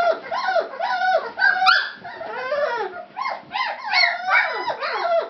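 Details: Fawn Labrador Retriever puppies, several at once: overlapping upslurred and downslurred whines and thin yelps in continuous waves, swelling and fading every second or so.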